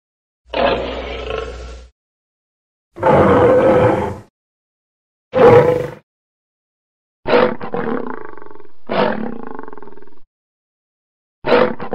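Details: Lion letting out six separate roars and snarls spaced irregularly about two seconds apart, the first three broad and harsh, the later ones sharper with a wavering, drawn-out tail, silence between each.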